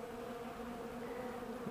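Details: Bees cleaning up honey and wax cappings left outside on a 65-degree December 2, 2012 day. A continuous, even drone of many wings with two steady stacked tones and no other sounds.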